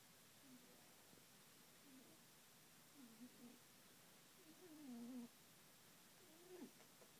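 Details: Quiet snoring from Binky, a female rabbit asleep: faint whistly breaths build to one longer, louder, wavering squeak, then a short final note, with no other sounds.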